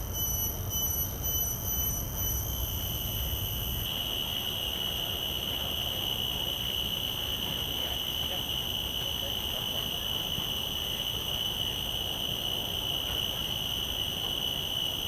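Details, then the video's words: Common cicada's call captured through shotgun microphones in the field: a sustained piercing whine that steadies and strengthens after a few seconds of faint pulsing, with layered high overtones and low rumbling noise beneath. "Calls of a Common Cicada"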